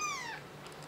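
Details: Kitten returned to its mother cat, now a protective mother; a single drawn-out meow that slides downward and fades, followed by a few soft clicks.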